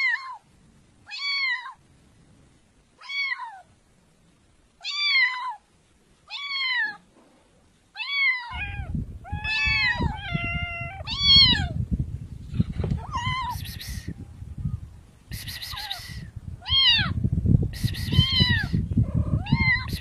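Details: Cats meowing in a long compilation: clear arched harmonic meows every second or two, first against silence, then over a loud low rumbling background from about eight seconds on, with some higher, noisier meows near the end.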